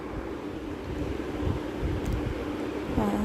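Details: Steady low rumble like a passing vehicle or train, with a faint tonal hum rising near the end and no animal voice.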